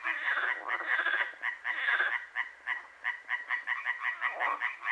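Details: Croaking frogs at night, Hłomcza in Sanok commune, Poland; a thick chorus first, then clearer evenly spaced rattling croaks repeating about three times a second over a softer background of other frogs.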